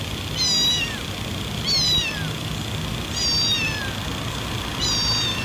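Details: Domestic cat meows, shared as sounds to attract cats: four high, thin meows with rising then falling tones, roughly one every one and a half seconds, over a steady low background hum.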